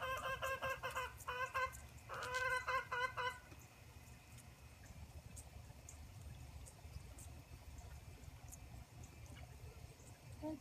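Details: Six orphaned Boer goat kids at a wooden bottle feeder, filmed on a phone propped on a gate; two loud tremulous bleats with a rapid wavering quality in the first three seconds, then quieter shuffling and background hum.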